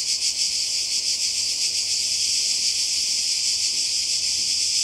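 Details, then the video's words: Summer 2020 cicada chorus on the Croatian coast, a continuous shrill hiss-like buzz that throbs rapidly and never breaks over a few seconds. "Kroatien Zikaden und Meer"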